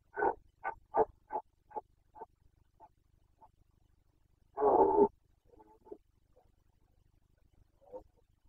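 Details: Carpathian stag in the 2021 rut, the boncănit: a run of about seven short grunting barks that grow softer and quicker, then a strong rasping roar near half a second long, followed by scattered soft grunts.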